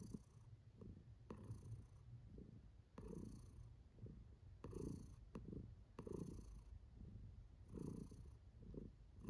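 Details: Kiwi, a female pet cat, purrs steadily while enjoying herself; continuous deep rumble swelling in soft waves roughly every second and a half.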